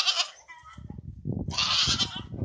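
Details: Goats in a pen of young feeder stock being sold for fattening before Eid al-Adha; a shrill bleat opens, then a second long quavering bleat over a man talking in the background.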